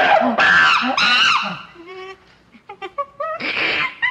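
A chimpanzee gives loud, harsh screams broken by shorter, rising whimpering hoots.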